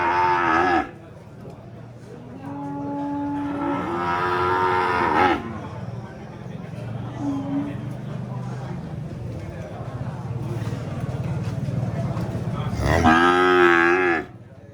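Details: Cow mooing several times, some calls short and others drawn out with wavering pitch, over a continuous low rumbling background noise, possibly a vehicle or wind.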